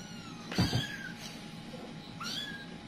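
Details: Kittens spread apart while the mother cat panics; two thin, high, downward-sliding kitten meows separated by a loud low thump, a steady hum underneath.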